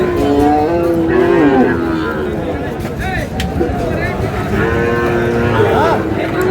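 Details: Sahiwal bull calves for sale at a Narsingdi cattle market on 19 July; two long, tonal moos, the first bending downward near its end, the second rising at the close, with market talk and voices throughout.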